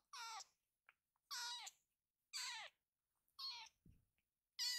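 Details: High-pitched meows from Ama, a rescued baby kitten summoning the other kittens to come together. Five strong, slightly wavering calls about once a second, with faint clicks and one low thump between them.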